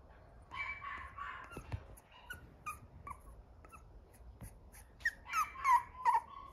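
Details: Male Cavalier King Charles Spaniel puppy that loves people, making soft whimpers and squeaky yips scattered over several seconds, with a cluster of louder high squeals near the end amid light handling noises.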